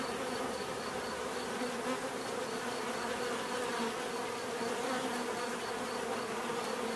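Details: Many bees buzzing together in a steady, dense drone with low humming tones, a constant hive-like hum that never pauses, plus a faint regular high ticking running throughout.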